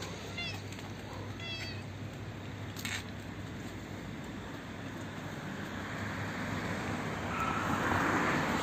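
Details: Old, hungry, toothless female stray cat living in a neighbourhood front yard, fed from a roof after running up; two short, high, rising meows in the first two seconds, followed by steady broadband rushing background noise.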